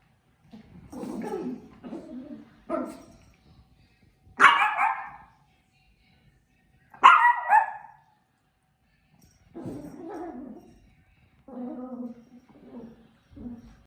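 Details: A puppy gives a series of barks and yips at uneven spacing, with two louder, sharper barks in the middle and shorter, softer whimper-like yelps around them.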